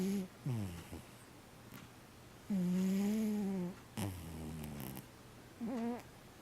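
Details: Sleeping cat snores in a few drawn-out, buzzy, tonal breaths. One long, steady, low hum around the middle is flanked by shorter, wavering snorts.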